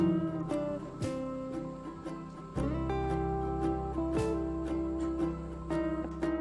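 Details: Plucked acoustic guitar music plays throughout, with no animal calls.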